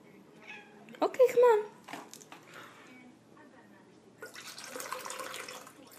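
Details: A kitten that reacts this way every time a water bottle is opened, wanting water, gives one short rising-then-falling meow after a person's question, then a crackling rustle of plastic follows.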